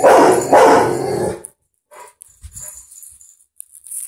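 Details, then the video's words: Butler, a household dog upset by a dog on the TV, lets out two loud, harsh, drawn-out barks back to back, followed by quieter room sounds and brief voices. "Butler hates the dog on tv!"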